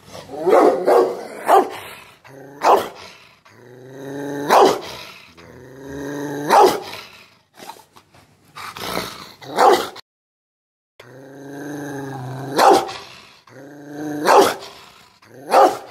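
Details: A female Rottweiler snarls with low, drawn-out growls that swell into harsh, explosive barks every few seconds, showing her anger at being teased.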